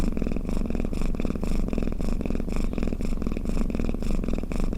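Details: Cat snoring with a close, even purr: a low throbbing rumble whose loudness pulses with each breath, just under twice a second.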